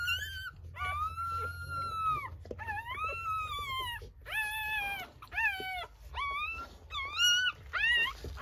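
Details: Newborn Rottweiler puppies just after birth. They give loud, high, wailing cries that rise then fall, in drawn-out calls of about one to one and a half seconds, repeated with short pauses. Low room hum sits underneath.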